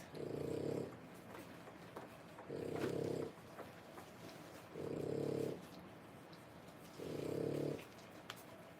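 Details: Three-week-old French Bulldog puppies, born 1/10/25, heard as soft, low, rough snore-like bursts about a second long, repeating roughly every two seconds in a quiet room with faint clicks.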